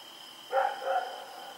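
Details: A single doubled bark from Rex, a dog roaming at night on October 7, 2018, rising out of stillness and fading, with a steady high-pitched background tone throughout.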